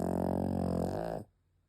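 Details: Penny, a sleeping dog, lets out a loud, buzzing snore that rattles for over a second and then cuts off into silence.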